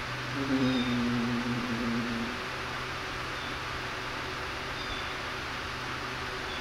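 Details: A kitten, among kittens playing and feeding, gives a single long, wavering mew of about two seconds, followed by only a steady low hum.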